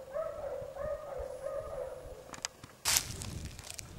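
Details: Basset Hounds of the French Rallye de l'Allagnon kennel following a trail; three drawn-out, tonal bays in quick succession, then rustling and a sharp burst of noise.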